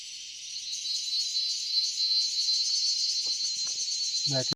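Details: Crickets in the quiet Dalma forest, Jharkhand, India, form a continuous, high, shimmering buzzing chorus without a break, one thin steady tone riding above; a few soft knocks and a brief low rumble come just before it cuts off.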